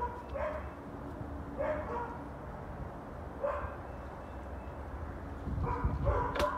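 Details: One of four neighbouring dogs barking on January 20, 2021: single sharp barks spaced about every one to two seconds, ending in a quick pair of barks, over low steady rumble.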